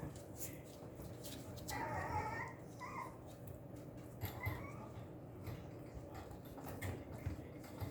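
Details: Young female Papillon, morning of August 28: short nasal whines around the second mark and a few softer ones later, over steady low room hum and faint rustling.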